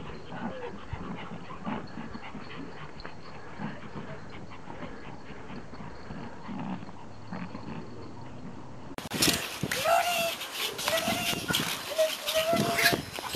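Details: Toy Pomeranians thrilled to see their owner back from a trip; panting and soft whimpers give way to louder rising whines and scuffling, with a voice in the background.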